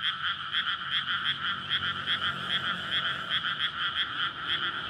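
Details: Nighttime May chorus of frogs in a flooded paddy amid a residential area, calling to court and spawn. Quick repeated croaks merge into a thick pulsing drone, with a faint low rumble, likely traffic, underneath.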